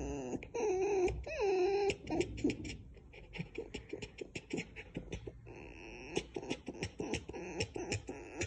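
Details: Pet domestic red fox kit gives wavering, nasal whines, then breaks into a fast, stuttering run of clicks and chatter.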